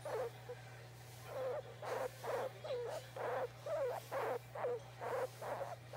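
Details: Guinea pig Oimo-san, a pet asking for petting, makes rhythmic bursts of low, buzzy, grumbling calls, each lasting under half a second, coming about twice per second against a constant background hum.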